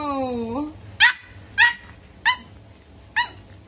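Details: Pug puppy indoors gives a drawn-out harmonic whine that dips and then bends upward, followed by four short, sharp high yips spaced about half a second to a second apart, with no other clear sounds.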